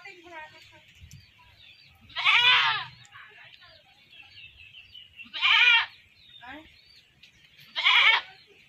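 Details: Captured goat that was then slaughtered, bleating three times: loud, wavering, nasal cries about half a second long, spaced roughly three seconds apart, over quiet background murmur and faint low rumbling.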